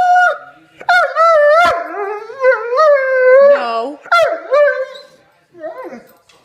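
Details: Doberman dog, told no to pasta, answers with long tonal whining howls that rise, fall and waver in drawn-out phrases with short breaks, while a woman speaks to it in a small indoor room.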